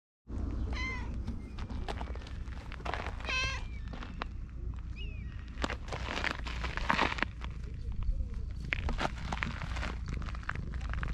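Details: A brown tabby cat wearing a collar meows affectionately: two short, bending meows in the first few seconds, then rustling and scratching over a steady low outdoor rumble.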